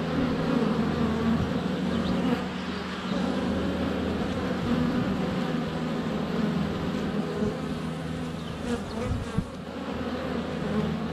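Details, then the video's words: Honey bees in flight at a hive entrance on a sunny February day, filmed with a GoPro Hero 7 Black under a foot away; a dense, steady low buzz of many wings fills the clip, with faint bird notes above. "4K Honey Bees - ambient video and audio"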